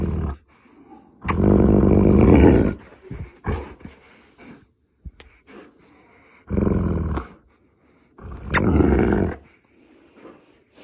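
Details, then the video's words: Molly, a Boerboel, indoors and wanting to play after being told no wrestling after eating, grabbing a jumper sleeve; three long, low, rumbling growls of about one and a half, under one, and just over one second, with brief human speech between. "Boerboel wants to play"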